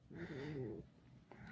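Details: Pet fox Alice lets out a single brief, nasal whine lasting under a second, wavering slightly in pitch, followed by a quiet pause and faint indoor rustling.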